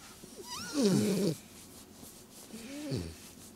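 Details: Cat being tickled indoors: a short rising chirp, then a wavering, strained meow, and after a pause a second lower, falling meow.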